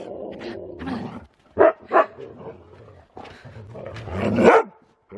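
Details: Siberian Husky racing around with zoomies in fresh snow, giving two short, sharp barks close together, with a person's voice speaking before and after and a rougher vocal burst near the end.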